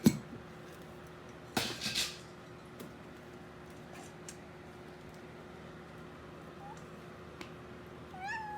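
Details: Female Siberian cat, eleven and a half months old, kept at home and fond of cardboard boxes and string, gives a faint, thin, rising meow near the end after a soft short chirp; earlier thumps and handling noise over steady room hum.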